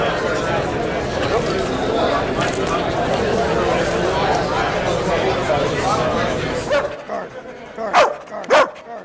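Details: At the 2009 Invictus Law Dog Conference in Las Vegas, Nevada, a police dog in a distraction-control training demonstration gives two quick, punchy barks once the chattering indoor crowd quiets, with scattered voices around them.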